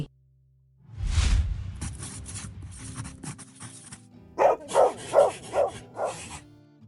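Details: Dog barking five times in a quick, evenly spaced run of sharp, punchy barks near the end, after several seconds of low rumbling background sound and music.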